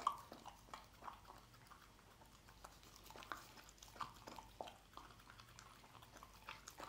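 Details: Dog eating scrambled egg: soft, irregular wet smacks and chewing clicks, some spaced about half a second apart, over a quiet background.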